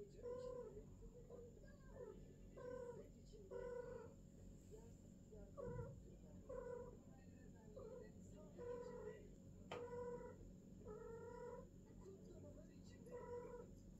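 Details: First mating of a female cat alongside golden British longhair and silver British shorthair cats: a long run of about a dozen short, nasal, harmonic yowls repeated roughly every second, with a constant background hum.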